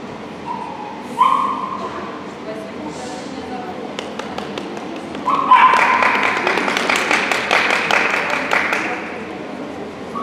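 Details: Border Collie Shepville Gamble at an Obedience-1 trial, St. Petersburg Cup, 11 February 2018: two short, sharp barks about four seconds apart, the second followed by a burst of rapid, irregular clicking and raised noise in the hall.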